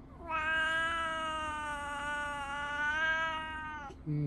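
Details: Chatty house cat greeting its owner indoors in the morning: one sustained, wavering meow lasting over three seconds, steady in pitch with a slight droop at the end, followed by a person starting to speak.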